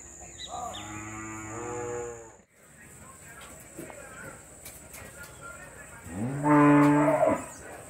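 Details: Dairy cows at a small-scale dairy farm while calves are being separated from them: two drawn-out, harmonic moos, the first lasting nearly two seconds, the second louder and shorter near the end, with faint bird chirps in between.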